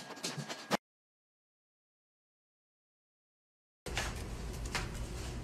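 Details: Two short bursts of broadband noise separated by about three seconds of silence, with no animal voice.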